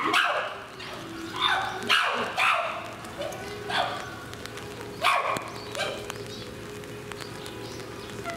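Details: At Higashiyama Zoo and Botanical Gardens in Aichi, Japan, 18 November 2017, a captive chimpanzee utters loud, rough, barking calls in irregular bursts, fading toward the end, with low crowd murmur behind.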